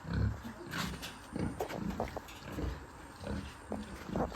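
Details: Farm pigs grunting and snorting, deep, throaty pulses repeated in quick uneven bursts, with a loud low grunt at the start and lighter rustling between calls.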